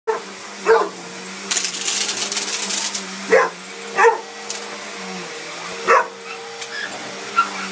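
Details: A Mastiff scared of a sweeper gives short, loud barks spaced irregularly over a steady mechanical hum, with a brief burst of hissing noise partway through and a person's voice faintly urging "get it".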